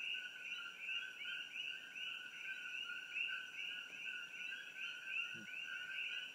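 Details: A dense chorus of Coqui frogs (Eleutherodactylus coqui) with other creatures in treetops along Old Mamalahoa Highway near Hilo, Hawai'i, their two-note chirps overlapping into a steady high ringing at night.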